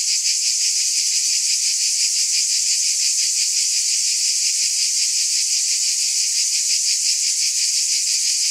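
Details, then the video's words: Steady shrill drone of cicadas, bright and hiss-like, throbbing in soft regular beats near three per second and never pausing; nothing else is heard. "Scintillating Cicadas 1 hour White Noise"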